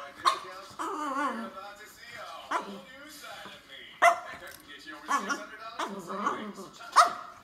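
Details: French Bulldog complaining indoors, a run of grumbling, moaning whines with wavering pitch, several drawn-out vocal bursts across seven seconds punctuated by sharper yelps near the start, middle and end, with a person's voice also heard.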